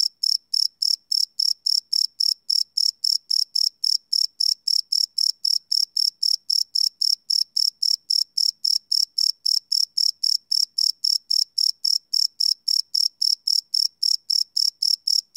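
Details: Live night recording of crickets, made with a Sony PCM D100, holding a continuous series of sharp, high-pitched chirps pulsing quickly and evenly without a break and with a clean, quiet background.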